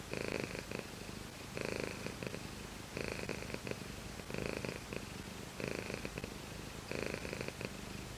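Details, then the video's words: Close recording of the cat Shiro purring, a deep vibrating drone with regular louder phases recurring about every 1.3 seconds, steady and relaxed throughout. "ごろごろしろ Cat purr"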